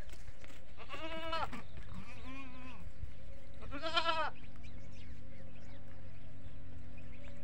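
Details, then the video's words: Desi goats and young kids at a goat farm: three separate bleats, a nasal wavering call, a softer falling one, then a loud quavering bleat, over a steady low mechanical hum. "Beautiful Bakri Ka Awaaz || Goat Sounds At Goat Farming"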